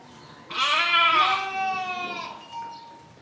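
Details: A single long sheep bleat lasting about one and a half seconds, bright and quavering, tailing off into a softer lower note.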